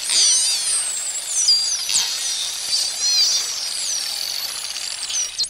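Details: Common dolphins (Delphinus delphis) trade a flurry of high, sliding whistles that rise, fall and overlap, with faint clicks beneath.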